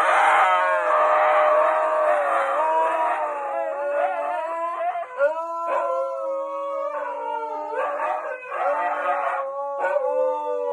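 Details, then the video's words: Two huskies trying to irritate a golden retriever, filmed as dog comedy: loud, drawn-out overlapping howls and yowling wails that bend up and down in pitch, broken by short yips and pauses, continuing almost without a break. "Two husky dogs triying to irritate golden retriever😂"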